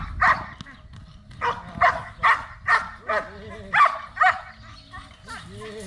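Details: Belgian Malinois at a guard and protection training session in Zumpango, State of Mexico, giving a run of short, sharp barks about every half second, with a person's voice and faint background noise between them.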